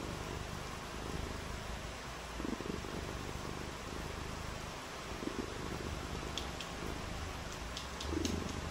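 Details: Cat purring on a rainy day, a continuous low rumble, partly masked by an even hiss, with a few light clicks and taps toward the end.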